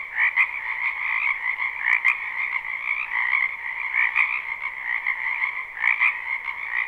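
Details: Live spring recording of frogs in a wetland behind a house: a dense chorus of rapid pulsing trills, with a few sharp clicks standing out above the steady croaking.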